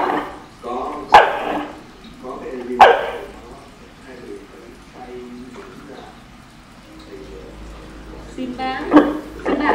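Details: Corgi in basic obedience training barks without obeying the command, not yet having learned to bark on cue; short sharp barks at about one and three seconds and again near the end, between a trainer's Vietnamese speech.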